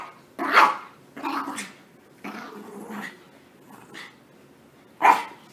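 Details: Several short, high yips and barks from puppies in crazy playtime just after a bath, four or five separate bursts spread over a few seconds with quiet between.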